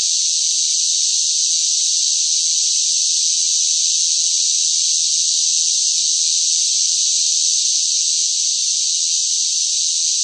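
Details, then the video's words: A loud cicada chorus in summer heat, one seamless high-pitched whirring band of sound, level and uninterrupted, with no birds, wind or voices. "뜨거운 무더위 속 시끄러운 매미 울음 소리"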